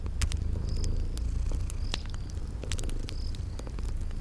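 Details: Purring of sleeping kitties near a crackling fire in a spring garden setting, a soft low rumble beneath loud snapping crackles and a few short high chirps.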